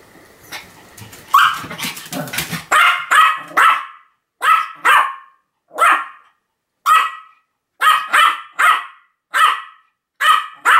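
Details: Pomeranian named Sam barking continuously, recorded 7 October 2015: a rapid jumble of yaps in the first seconds, then sharp, high barks in pairs and singles about every half second to a second.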